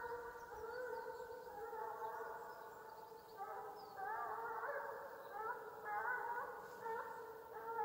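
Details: Russian hound from Ivanovo Oblast, Russia, giving voice while chasing game on a hunt: continuous sustained musical howling bays, wavering and rising slightly in pitch at times, steady and unbroken across the stretch.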